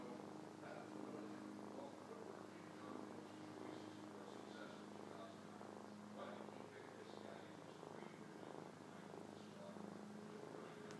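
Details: Sleeping pet cat curled on a lap, purring continuously; a low, even rumble with gentle pulsing runs through the whole stretch, while quiet human speech is heard faintly alongside.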